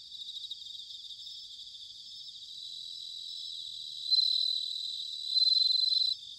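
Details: Autumn bell cricket song from Sanuki in Chiba, Japan: a continuous high, shimmering chorus, then two bright, ringing trills near the end, each lasting about a second.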